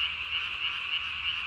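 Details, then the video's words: Japanese tree frog calling at night on 3 May 2020, its vocal sac under the chin inflated to nearly the size of its body; a steady, dense, high-pitched rasping trill holds without pause through the short stretch. "밤에 우는 청개구리 울음판이 몸통 만큼 크네요?"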